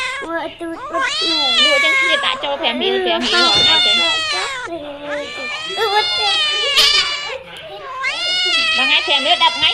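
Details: Domestic cats wailing, with overlapping long meows that bend up and down in pitch almost without a break. Talking voices mix in throughout.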